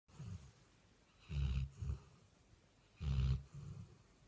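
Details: Labrador Retriever asleep on a bed, snoring: deep, rumbling low snorts in pairs, one burst around every one and a half to two seconds, over a soft hiss of room noise.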